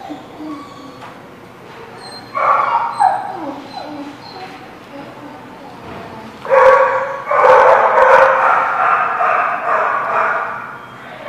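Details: Dogs at The Barking Lot, recorded 13 October 2017: quiet background with faint voices, then a brief burst of barking, and after a lull a longer stretch of loud, overlapping, sustained barks.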